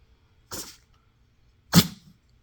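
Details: BabyCharlie, a cat with sneezing and a runny nose, taken to the vet and diagnosed with a pollen allergy. Two sharp, breathy sneezes about a second apart, the second louder and harsher, in a quiet indoor room.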